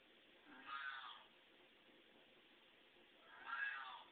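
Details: House cat reacting to another cat on a TV screen before recognizing it as an image; two drawn-out, wavering meows about three seconds apart over a quiet room background.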